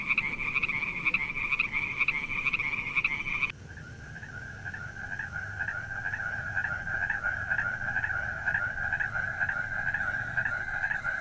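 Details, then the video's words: Frogs at night producing a steady chorus of fast pulsed croaks, shifting from a higher-pitched caller to a slightly lower one after an abrupt edit. "Funny frogs sound at night"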